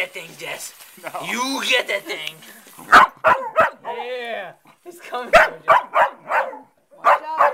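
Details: Dog barking at voice-controlled robotic crabs: a run of short, sharp barks in quick irregular bursts, with a person talking and a drawn-out vocal sound in between.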